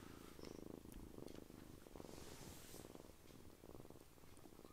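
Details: Domestic cat purring, a steady low rhythmic rumble of quick pulses, in a home caring for rescued foster kittens alongside gentle older male cats resting on a lap; faint rustling and indoor room sound.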